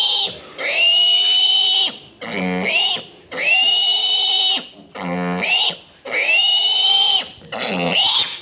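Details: Piglets receiving iron injections scream in long, piercing, sustained squeals, about six drawn-out cries over eight seconds, with short harsh grunting breaths between them and a person's voice faintly behind.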